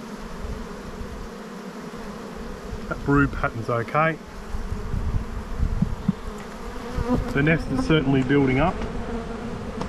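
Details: Continuous humming of honey bees around a brood-filled black hive during a spring inspection in Australia, a broad steady drone under two short stretches of a man talking.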